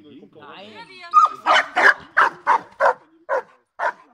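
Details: Protection work training with Giant Schnauzer Blackmoore Uno, 5 January 2019. A man speaks briefly in German, then the dog breaks into about eight loud, rapid barks, slowing slightly toward the end.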